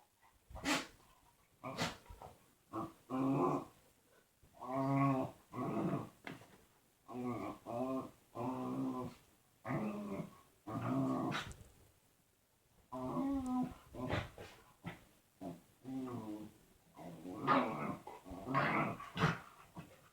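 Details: Indoor dog producing weird noises ahead of a hug: a long run of short, grumbling, moan-like vocal bursts, roughly one each second, warbling and throaty with a few clicks between, rising in intensity toward the end.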